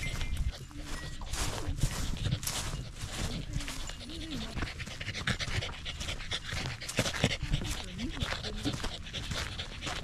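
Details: Corgi hiking a small rural mountain facing the central Japanese Alps on a clear day. Quick, noisy panting breaths repeat throughout, while a person's voice rises briefly around the middle and again near the end.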